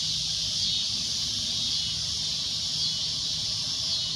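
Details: Steady high, shrill buzzing from a cicada, a constant droning noise with slight wavering in pitch.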